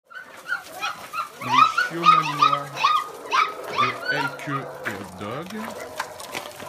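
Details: Five-week-old Belgian Malinois puppies from a litter of eleven, five males and six females, born 18 June 2015, heading out on a walk with their mother; a run of high, wavering whines and yelps, with a person's voice in the background.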